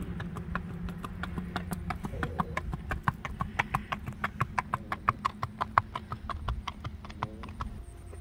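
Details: Smooth-gaited Tennessee Walking Horse mare Joy, 14-15 years old, black roan sabino, walking a trail; crisp hoof strikes ring out in an irregular rhythm of roughly one and a half per second over a low steady background hum.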